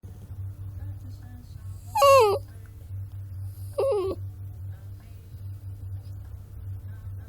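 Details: Puppy giving two short whining cries about two seconds apart, each bending up and then down in pitch, set against a steady low hum.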